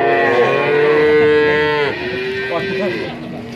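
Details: Among 19 male calves at Grabag, Magelang Regency, Indonesia, one steady, fairly high moo lasting over a second is followed by a shorter, softer moo, with voices talking in the background.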